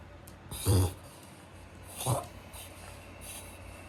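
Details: Mame Shiba suddenly choking after eating dinner, as if its nose were blocked, in spasms thought to be a reverse sneeze; two loud, low, rasping snorts about 1.4 seconds apart, then quieter breathing in a small room.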